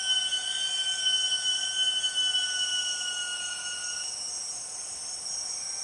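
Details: Empress cicada, called a 6 o'clock cicada, calling in Borneo's rainforest in the afternoon. A sustained whistling tone glides slowly downward, then the lower tone cuts off. A dense, steady, high-pitched insect chorus continues throughout.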